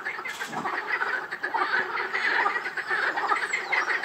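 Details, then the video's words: Rainham Marshes frog chorus: many overlapping croaking calls forming a thick, continuous rattle, with brief louder croaks rising above the steady mass. "Frog Chorus"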